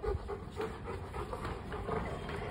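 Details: A Rottweiler searching for his ball without disturbing anything pants steadily indoors, short breathy puffs repeating about three times a second with faint whiny overtones, while a Bengali speaker coaxes him on between breaths.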